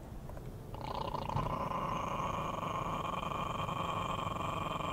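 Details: A Chihuahua growling while threatening to bite a person, a continuous rough, rattling snarl that swells after the first second and holds steady, with a tense tonal edge over the buzz.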